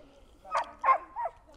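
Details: Dog with frustration problems during a training session, calling its owner because it is bored and frustrated and wants treats; three short, yelping barks within about a second, in a quiet setting.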